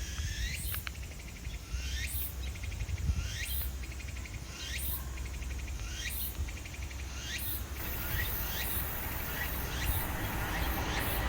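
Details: Meimuna opalifera cicada singing at Ozasa-kita Park alongside pine crickets. High, rhythmic buzzy bursts repeat about every one to one and a half seconds, with quick rising chirps between them over a low background rumble.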